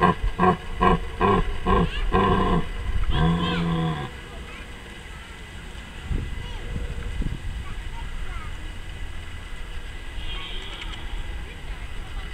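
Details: Red-deer-type stag at Bedfords Park, Havering Atte Bower, Greater London, on 7 October, roaring to size up other stags competing to mate with the hinds: a series of deep rapid grunting roars, then a longer roar, followed by quieter outdoor background.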